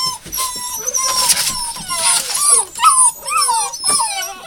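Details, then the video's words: Hound puppies of Rosebud's litter, 02/08/12, cry in high, quavering whines; arched, bending cries from several pups overlap and grow louder toward the end. "Rosebud - Puppies"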